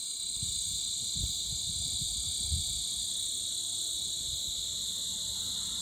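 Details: Extremely loud insects, a flat sustained high-pitched drone in layered bands that never breaks, with scattered soft low knocks beneath.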